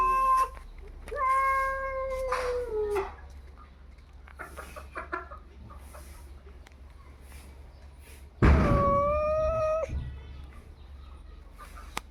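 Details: Cats fighting at 3 AM: a short wail, a drawn-out yowl that falls slightly, quieter scuffles and thumps, then a loud burst with a sustained, wavering scream.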